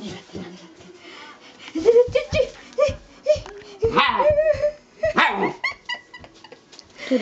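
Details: Shiba Inu grandpa dog fussing inside the house before pooping, a string of short high yelps rising to louder whining barks, with some human voice mixed in.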